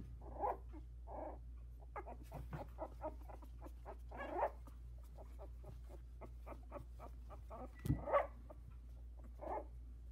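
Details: Havanese puppies, 16 days old, newly walking and vocalising in their whelping box; scattered short whines and squeaks between soft clicking and rustling, with a louder rising yelp near the end, steady low hum beneath.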